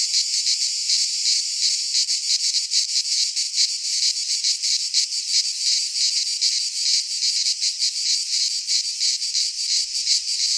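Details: Cicadas singing in midsummer in a Greek pine forest: a dense, continuous high-pitched buzzing chorus with rapid pulsing throbs, steady loudness throughout and nothing else audible.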